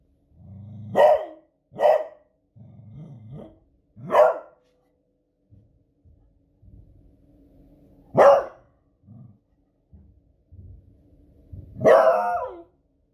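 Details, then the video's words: Beagle named Smudge, a female pet, barking loudly at booming fireworks on a Friday evening, raising the alarm; five sharp barks spaced irregularly over thirteen seconds, with low growly rumbles and soft low thuds between them. "Cute Beagle Barking at Fireworks Noise"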